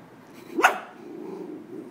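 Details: A sleeping Manchester Terrier wearing a bowtie, startled awake by a noise outside, gives one sharp, short bark in a quiet room. Faint low background hum, and a person says a word just afterward.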